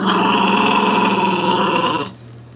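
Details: Growling loudly over his dolphin pillow pet toy, the puppy Sonny holds one continuous, harsh, buzzing growl for about two seconds, then stops abruptly.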